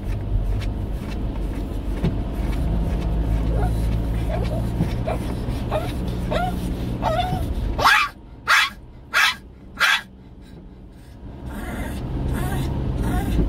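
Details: Jjongi, an elderly 17-year-old Shih Tzu with dementia, acting up at night at home: a string of thin whines, then four sharp barks in quick succession, then quiet hum before background noise returns.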